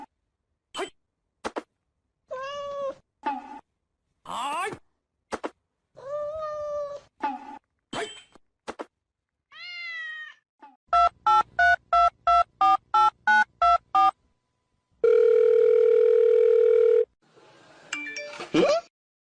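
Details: Domestic cat meowing in a series of short, separate, drawn-out meows, each sliding downward in pitch and spaced by brief silences, followed by a run of rapid, evenly repeated electronic beeps and a steady sustained tone.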